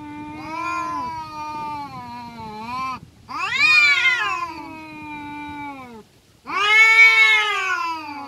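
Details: Village cats fighting, giving long drawn-out wailing caterwauls in three loud bouts, each sliding up then down, harmonically rich and strained, separated by short pauses.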